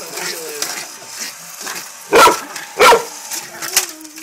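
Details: Rita Rae, a Jack Russell Terrier chasing a race car, gives two loud, clipped barks in quick succession over soft murmuring and a low background hum.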